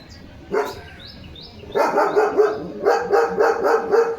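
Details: Leo, a pet German Shepherd on alert duty after a bath, barks in a quick series of sharp, clipped woofs, preceded by a single bark; high chirping sparrows are audible earlier in the background.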